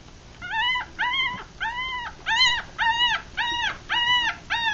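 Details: Newborn Rat Terrier–Chihuahua mix puppies, three days old with eyes closed, feeding among a litter of six; a steady run of eight arched, nasal squealing cries, each about half a second, repeated roughly every half second.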